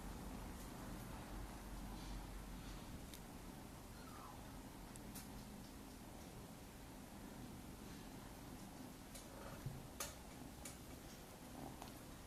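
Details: Maine Coon kittens aged nine weeks give a low, even purring rumble beneath frequent light rustles and clicks, with a quick thin squeak partway through.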